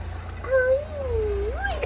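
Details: Calico mother cat, a Moroccan street cat that ran to the caretakers and gave birth to four kittens, giving one long wavering meow that rises, dips and climbs again at the end, over low traffic rumble.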